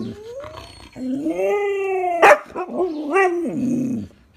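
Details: Siberian Husky begging for Pedigree snacks, giving a drawn-out, wavering, howl-like whine with rising and falling pitch, broken by a sharp click near the middle and ending in a short sliding moan.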